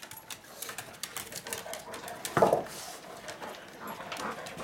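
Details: Indoors at dinnertime, Furby, a blind, diabetic senior pug, snorts and huffs in quick bursts, then gives a short, louder whine near the middle. Someone speaks in the background.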